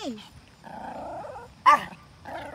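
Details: Three Pomeranians on a morning walk bark at a deer they spotted, giving high, sharp yips and a drawn-out whining bark, the pitch falling at each start.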